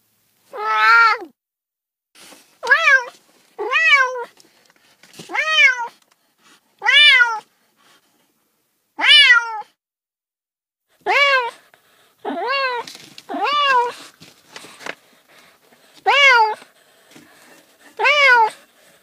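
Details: Pet cat giving a quick series of clear meows, about thirty a minute, each call arching up and down, with soft quieter meows and faint room sounds between.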